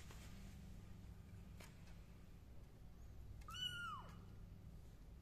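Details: Tuxedo kittens wearing bead decorations, indoors, recorded on the 29th of Tết 2023: a single high, arching meow with a clear harmonic stack near the end, over a steady low hum.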